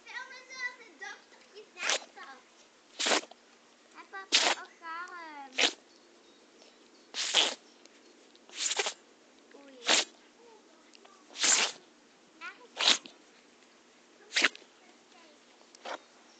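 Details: A female Chihuahua in a sneezing fit of sharp, explosive snorts repeating every second or so; the owner thinks it returns when she starts sniffing at things.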